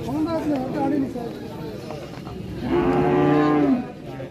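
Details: Cattle at a Qurbani cattle market in 2024 give a long, steady moo lasting about a second near the end, after stretches of market chatter and talk.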